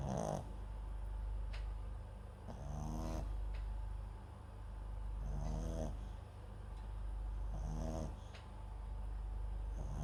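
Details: Sleeping Papillon and Japanese Chin cross named MAX, recorded close up by a microphone set next to him; rasping snores come roughly every two and a half seconds, short rattling inhalations over constant low droning noise.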